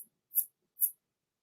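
Two brief, fuzzy, very high-pitched katydid tsips, about half a second apart.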